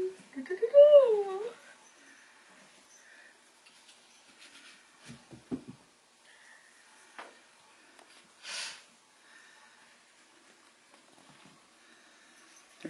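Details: Bengal kitten among four littermates, just past toddling and learning to play together: a short warbling mew with a wavy pitch at the start, followed by soft scuffling, taps and near silence indoors.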